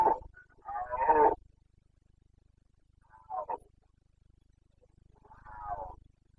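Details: Carpathian red deer stag in the breeding season, Bucovina, Romania; a loud rasping roar opening the sequence, then a shorter grunt and a fainter, drawn-out moaning call trailing off.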